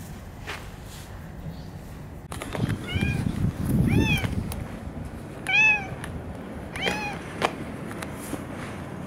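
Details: Female boss cat Kurishiro, caught between two feuding cat factions in a park, meows while being stroked and held on a lap: about four short arched meows spaced roughly a second apart, with rustling and handling noise.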